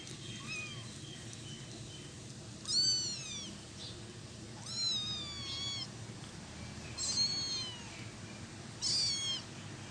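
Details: While eating cat food, kittens make funny sounds and hold the food area from their patient mother; four high, bending meows come every couple of seconds, each sliding downward, over a constant low hum.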